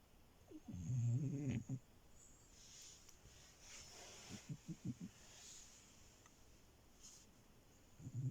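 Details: Milo, a French Bulldog puppy asleep in bed, lets out a loud buzzing snore, then softer short huffs and snuffles in quick succession, with another snore starting at the end; quiet indoor background.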